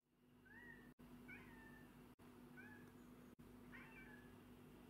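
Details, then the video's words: Black and white domestic cat meowing in short, quiet rising-then-falling meows, about four in five seconds, separated by abrupt edit cuts, over a steady low electrical hum. "Funny Cat Meow Compilation"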